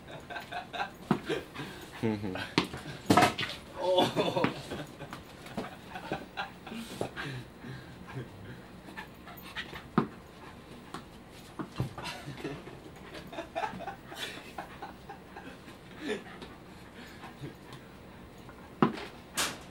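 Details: Office dog indoors, searching for and finding an object during play, with short breathy panting bursts repeated irregularly between lively human talk, laughter and encouraging calls to hand the object over.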